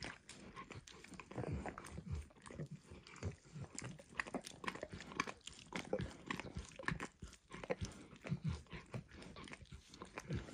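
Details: Dog named Emperor Max licking food from a bumpy orange mat, eggs at first and later diluted peanut oil; dense wet smacking and tapping licks in quick irregular bursts, close and steady throughout, no talking.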